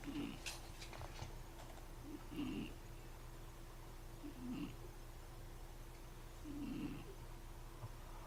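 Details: Sleeping Shih Tzu puppy snoring in slow, even rhythm; four raspy, throaty breaths about two seconds apart, each with a faint whistling edge, a low steady hum underneath and a few soft clicks near the start.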